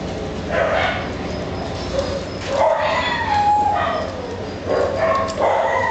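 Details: Italian Greyhound (Canis lupus familiaris), whines and yips.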